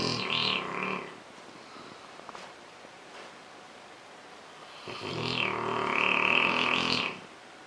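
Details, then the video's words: A male Rottweiler snores really loud at home, as he does daily, with two long, rasping breaths with a faint whistly edge several seconds apart, keeping another Rottweiler awake. "Rottweiler Snoring. The Boy Zeus."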